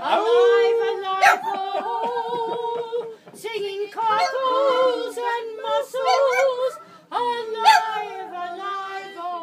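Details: A Boston Terrier howls in long, wavering, tuneful notes while a person sings "Cockles and Mussels".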